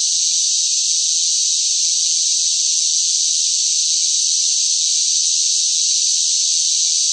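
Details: A noisy cicada chorus during intense summer heat: an even, high, sizzling buzz that runs without gaps or changes in volume, with no other sound.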